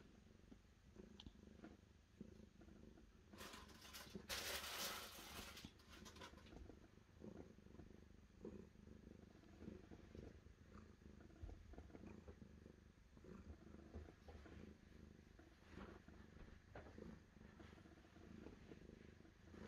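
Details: Cat producing a long, low, throbbing purr that keeps a steady rhythm throughout, interrupted midway by a loud burst of rustling or scratching noise lasting a few seconds.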